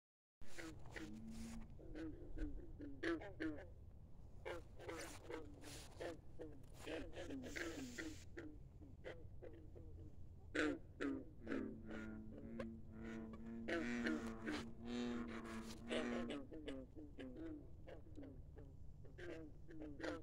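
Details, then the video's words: Frogs calling at midnight by a country pond, a dense chorus of low, croaking pulses repeated rapidly and overlapping, some deeper drawn-out croaks, over a steady low hum. "midnight frogs singing songs"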